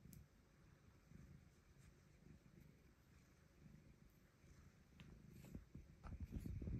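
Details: Domestic cat purring while being petted indoors after blocking a keyboard to demand attention; a soft, steady low rumble throughout, with faint pulsing and a few light clicks and rustles near the end.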